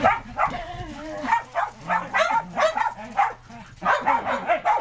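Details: Shetland Sheepdogs and puppies at play in snow, 2010, the dog Jasper heading out on the deck; repeated short barks rise and fall irregularly over overlapping human talk and a low steady hum.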